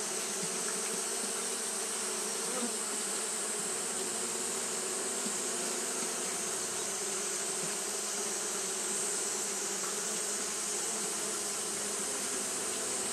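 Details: On a hot day, Japanese honey bees keep up continuous fanning, giving a thick, even drone with faint low wavering, sustained for the whole stretch beneath a steady sharp high hiss.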